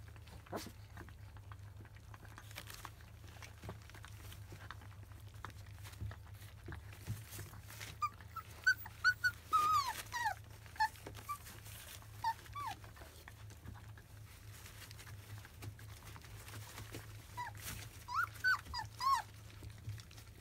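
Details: Twenty-five-day-old field-type Labrador Retriever puppies trying their first weaning food give scattered high whimpers and short whines, clustered in brief bursts with quiet gaps between, over a constant low background hum indoors.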